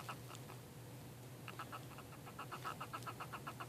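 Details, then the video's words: Shell fight between purple pincher hermit crabs: a few scattered clicks, then from midway a fast, fairly regular series of crisp chirping pulses, with a low hum underneath. "Hermit crab chirp noise"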